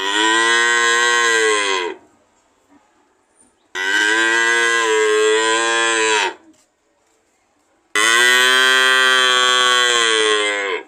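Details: Three strong, drawn-out cow moos of about two to three seconds each, steady and rich in harmonics, coming roughly every four seconds with near silence between them.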